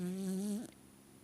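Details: A dog named Pixie snoring indoors: a single steady, nasal tonal hum lasting about half a second, lifting slightly at the very end before fading into quiet room noise.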